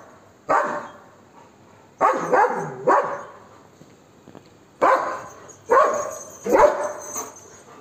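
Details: Golden Retriever named Max barking at monkeys, trying to drive them off. About seven loud, sharp barks, some in quick pairs and others spaced a second or more apart.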